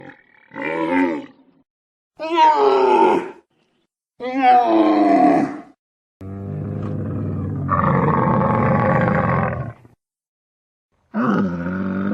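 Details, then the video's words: Camel calls: four separate harmonic, groaning bellows about a second each, then a long rough rumbling roar, and a final moan starting at the end. No other sounds. "Som de camelo"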